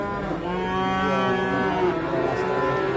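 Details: Simmental calf at Sukorejo livestock market, Kendal, giving one continuous steady moo with a slight upward bend near the end, backed by market murmur.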